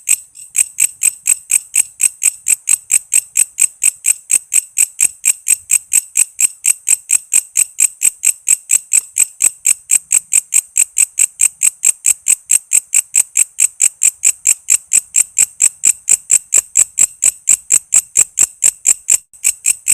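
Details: Walang kece cicada calling continuously. Its sound is meant for teaching songbirds such as lovebirds and green leafbirds: bright, high, metallic pulses tick by at a fast steady rhythm for the whole stretch, loud and clean.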